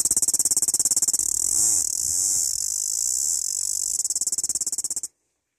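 A cicada's shrill, steady buzz, a mating call, with a fast pulsing throb that cuts off abruptly.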